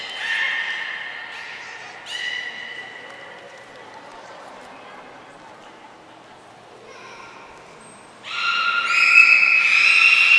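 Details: Training session with the belugas Gray, Nana and Mirai at Nagoya Port Aquarium, February 2024. Harmonic calls open the passage, a quiet stretch follows, then loud layered squeals and steady tones build up near the end, in an indoor room.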